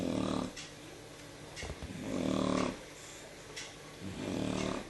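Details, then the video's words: Sleeping Shar Pei snoring in the evening indoors, three slow rasping, low-pitched breaths over a few seconds, each a long buzzy swell separated by quiet gaps. "jyo shar pei ronfle"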